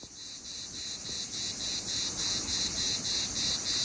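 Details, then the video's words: Cicada in summer: a shrill, continuous high-pitched buzz pulsing steadily about three to four times per second, holding an even rhythm and growing slightly louder throughout, over faint low rumble. "What does a cicada sound like? Summer in one sound!"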